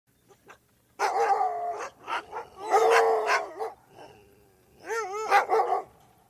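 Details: Several dogs barking and howling: bursts of harsh barks for about a second, then overlapping calls, and near the end a wavering, howl-like tone rising and falling twice.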